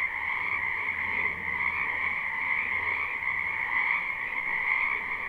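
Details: Spring wetland frogs in a live recording: unbroken massed croaking, a shimmering wall of rapid pulses in two pitch layers, steady in loudness, with a soft low drone underneath.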